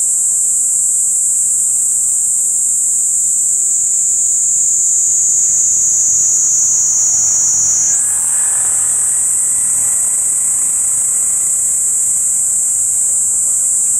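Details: A well-camouflaged Kaempfer cicada on a tree in Tokyo in mid-July starts singing again, a steady, shrill, high-pitched buzzing drone that runs without a break.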